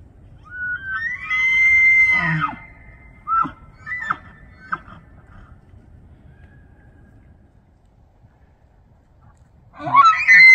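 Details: Bull elk in autumn rut at Banff, Alberta, Canada, bugling to draw females and warn off rivals: a rising shrill whistle held about a second, then three or four short sharp chuckles, a quiet pause, and another bugle beginning.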